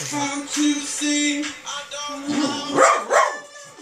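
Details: West Highland White Terrier howling on hearing Sam Smith's music; wavering, yelping howls rise and break near the end, over steady sustained musical tones and a person speaking.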